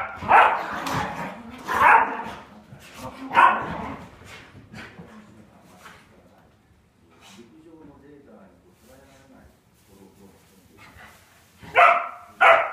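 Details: Two Polish Lowland Sheepdogs in a play fight. Loud, sharp barks come in a few spaced bursts at the start and again at the end. Between them are quieter growls, huffs and scuffling, with a person's voice in the background.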